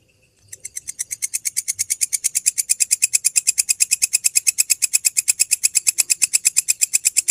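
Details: After half a second of quiet, a grasshopper starts up at midnight near Borobudur. Its rapid, high, buzzing pulses grow louder over the first two seconds, then settle into a fast, even train.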